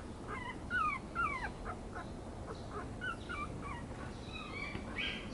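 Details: Yorkipoo puppy whimpering softly: faint, short, high whines that slide downward, coming in small uneven clusters over five seconds above a steady background hiss.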